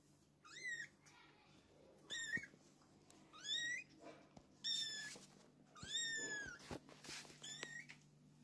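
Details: Kittens with their mother, mewing repeatedly in high, thin cries. Each cry sweeps downward, and they come in irregular bursts about every second, over a faint steady hum.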